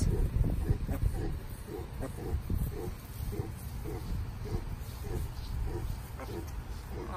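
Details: Mini pig from a Southern California farm, a little male with a black spot on his snout and a black saddle, giving low rhythmic grunts about three per second, steady and soft, over a low rumble with human voices nearby.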